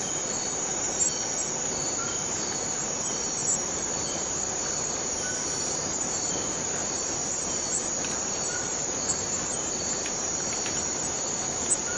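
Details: Forest cicadas keep up a steady, high-pitched buzzing drone that never breaks.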